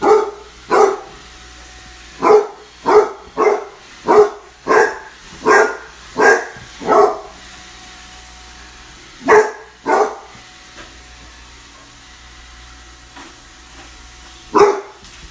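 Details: Barking Basset Hound puppy versus a Roomba, firing a rapid series of about a dozen loud barks roughly every half second, pausing, then a pair more and one final bark, a faint mechanical hum underneath.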